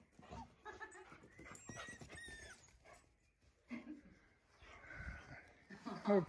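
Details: Labrador Retrievers at home: 8-week-old puppy Toffee meeting 4-year-old chocolate Labrador Fudge for the first time. Several thin, high whines slide downward in quick succession, with soft human speech and indoor rustling around them.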